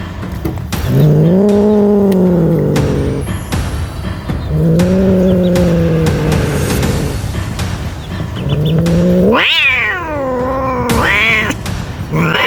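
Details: Scared cat wailing loudly: three long low moaning howls followed by two sharp high yowls that leap up and fall away, with background hum and faint chirping.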